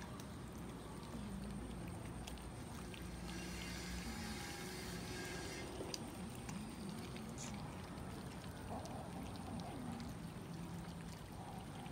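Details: Continuous pouring, water-like rush over a low rumble and faint background tones, with no clear animal voice.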